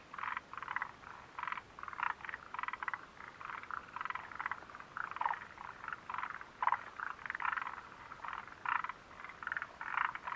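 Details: Chorus of frogs by the Mitsuishi mountain refuge hut, 29 June 2013, with clusters of raspy, clicking croaks following one another almost without a break, many animals overlapping throughout.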